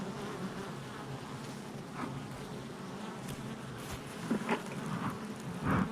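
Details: Hive entrance activity of honey bees, July 22nd, 2024: a constant low hum of many wings, with a few louder passing buzzes and soft clicks near the end.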